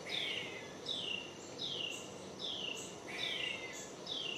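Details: Squirrel screeching, recorded on a Panasonic DC-FZ80 camera: harsh, high calls that slide steeply downward, repeated in a steady series about every three quarters of a second, over a faint background hiss.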